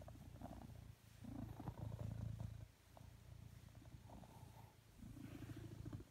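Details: Indoors on a sofa, a male blue British Shorthair cat seeking cuddles purrs loudly; deep rumbling cycles rise and fall about every one to two seconds, with a faint rasp on each breath.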